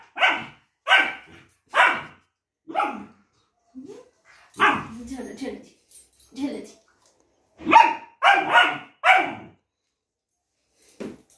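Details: Duke, a longcoat German Shepherd puppy, barks back while disliking his multivitamin and arguing with his owner: short sharp barks in clusters of three, then scattered yips and another quick run of barks, with a human voice mixed in.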